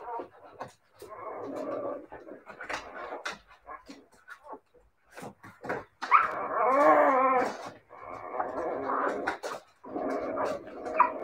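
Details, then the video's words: Siberian Husky puppies vocalising: scattered short yips give way to a long, wavering, harmonic howl-like whine lasting over a second, then further drawn-out moaning calls from the pups. "siberian husky puppies"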